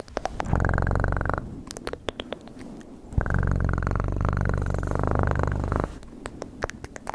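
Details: Cat purring strongly in two stretches, one short and one nearly three seconds long, a rapid low throbbing rumble with crisp clicking noises in the gaps.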